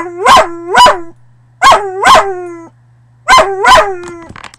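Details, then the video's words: A dog gives three paired bouts of loud, baying howl-barks, each burst rising sharply and then trailing off into a short moaning tail, with quiet gaps between bouts. "Dog Howling"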